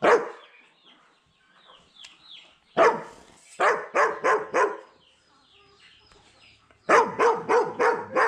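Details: A German Shepherd gives a few soft whines, then barks loudly in quick bursts of deep, harsh barks, likely trying to scare a person across from it.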